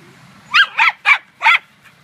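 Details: Female pet dog at a dog run, hunting squirrels instead of playing with other dogs, 9 May 2013: four sharp, high barks in quick succession, about a quarter second apart, over a faint low hum.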